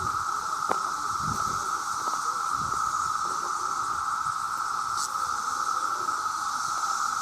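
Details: Male cicadas, millions calling together to attract mates, make a very loud sound: a steady, unbroken droning whine held at one pitch, with a fainter high hiss above it and occasional low thumps.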